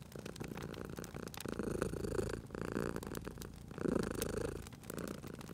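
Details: Cute cat dozing by a crackling fire in cozy spring surroundings, purring; soft rumbling purr that swells in two louder breath surges, accompanied by scattered popping and crackling of the fireplace.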